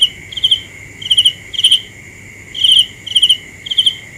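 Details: Cricket chirping: short bright pulsed chirps, each of three or four quick ticks, coming in uneven bursts about seven times in four seconds over a steady high insect-like whine.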